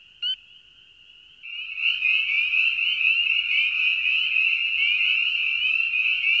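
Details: Frog chorus: one brief sharp note over a thin high drone, then a loud, continuous, rapidly pulsed high trill that carries through to the end.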